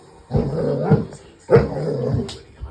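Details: A Border Collie reacting to bears catching salmon on television gives two low, harmonic, growling vocalisations of about a second each, separated by a short pause, with television sound running underneath.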